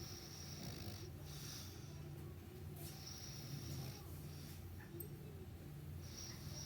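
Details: Meatloaf, a dog, snoring through a morning sleep: low, rumbling snores pulse steadily about once a second over a quiet room hiss, with faint higher tones drifting in and out.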